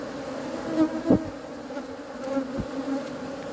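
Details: Honey bees giving a steady, low droning buzz with a layered hum, swelling briefly louder twice as bees pass close by.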